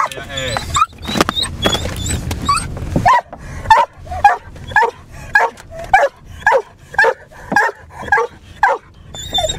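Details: Hare hound barking while chasing a hare that keeps running ahead, recorded from a car in wet weather; after a few seconds of talk, sharp barks repeat roughly twice a second over engine hum, with a man speaking Finnish.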